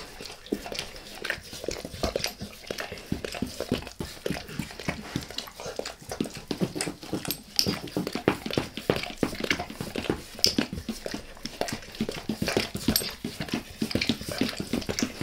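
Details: Max, a pet dog, licking his owner's face at length indoors; steady rapid wet slurping and smacking, several licks per second with short breaks, close and intimate, no speech.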